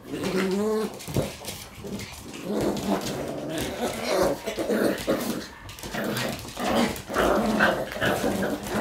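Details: Shiba Inu puppies playing together with their siblings on the day one of them leaves home; low growling and a short rising whine near the start, mixed with rustling play noises and a woman's voice.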